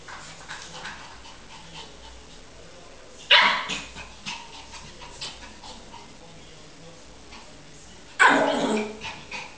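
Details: Lhasa Apso puppy, 12 weeks old, playing with its own reflection in a mirror; two short, sharp, harsh yaps about five seconds apart, with soft scuffling and rustling between them.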